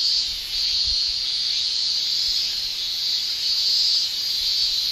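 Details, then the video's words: Japanese cicadas shrilling in a Japanese summer, males singing with the tymbal: a dense, continuous high-pitched buzz that swells and fades slightly every second or so, with no other clear sounds. "Japan Summer Cicada Shrilling"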